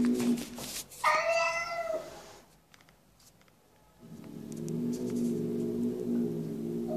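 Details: Domestic cat giving drawn-out meows: a low, moaning wail at the start, a brief higher harmonic-rich meow, a quiet pause, then a long, steady, low yowl to the end, indoors.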